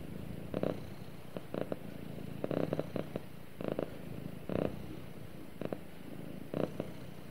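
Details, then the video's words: Domestic cat purring while snuggling with its owner indoors: a steady low rumble with stronger pulses about once a second, like rhythmic breathing. "Cute Cat Snuggles With Owner And Purrs"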